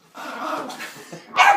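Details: Reg, an angry dog, telling off a door: a rough, drawn-out grumbling vocalisation for about half a second, a brief quieter stretch, then one sharp, loud bark at the end.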